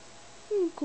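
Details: Loki, a gold sable Havanese puppy almost eleven weeks old, playing in his playpen indoors: a short high whine sliding downward in pitch, followed quickly by a second brief whimper that also falls.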